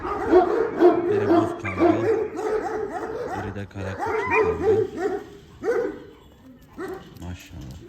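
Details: Home-bred female Kangals, including daughters of Zaza and Efendi, barking loudly and steadily: deep, rough barks roughly twice a second, sometimes overlapping as if several dogs join in, then thinning out toward the end.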